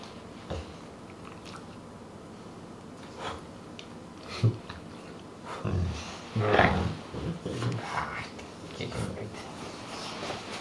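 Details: Pet Dogue de Bordeaux cross named Truus, one quarter Rottweiler, indoors: low rumbling grumbles and groans building in the second half, with bursts of breathy, throaty noise over human voices and room sounds.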